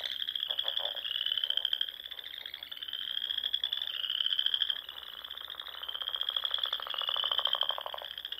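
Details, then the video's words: Frogs calling at dusk in spring among the ponds and dunes of the Sandhills, Nebraska: a dense chorus of overlapping high, rising trills in long pulsed runs, with lower rapid croaking pulses beneath. "RELAXING SOUNDS OF FROGS"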